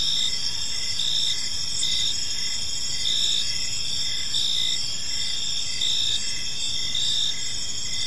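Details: Crickets chirping in a park on an evening, a steady layered high trill with pulsed chirps repeating roughly every second, several insects overlapping over a faint low hum of background noise.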